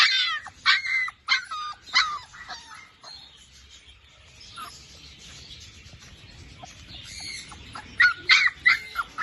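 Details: Labrador Retriever puppies give bursts of high, squeaky yelps in quick clusters. One run opens the recording, a quieter stretch with soft scuffling follows, and a second flurry of yaps comes near the end.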